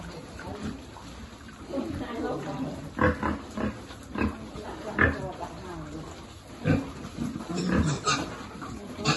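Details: Piglet at feeding time on a pig farm, short harsh grunts in irregular bursts, clustered between three and five seconds and again near seven and eight, with slurping feeding sounds in the background.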